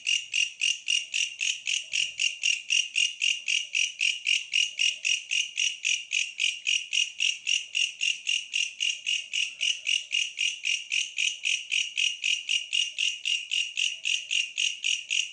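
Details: Steady rhythmic stridulation from a bush cricket: sharp, shrill buzzing pulses repeating nearly four times a second for the whole stretch, very even, with a quiet background.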